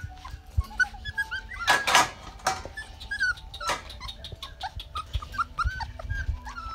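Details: Litter of Rottweiler puppies from Georgia, on day 33, in Canada during potty training: many high, wavering whines and squeaks overlapping, with a few louder rough yelps and soft thuds underneath.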